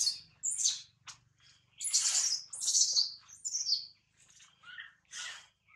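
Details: A newborn baby monkey, hungry for milk, calls repeatedly for its mother with thin, high, bird-like chirps and squeals in uneven bursts, roughly one every second, over a faint low hum.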